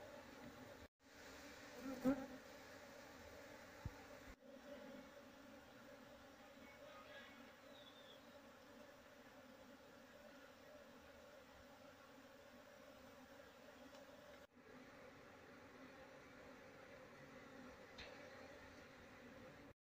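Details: Wild Apis cerana honey bee colony that had nested inside an active speaker box, being moved into a cultivation box after its queen was caught and her wings clipped. A steady, low, even droning hum runs throughout, with brief knocks.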